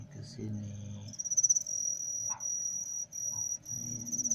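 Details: Male crickets kept in a container, with one female added to make them start calling: a steady high, thin ringing trill runs from about one second on, pulsing slightly, while a man talks quietly underneath.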